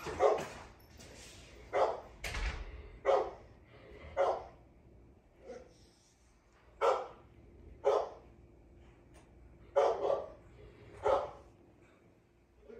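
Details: Navi, a dog described as the most patient in the world, barks in short sharp bursts, about nine barks spaced irregularly one to two seconds apart, with quiet gaps between.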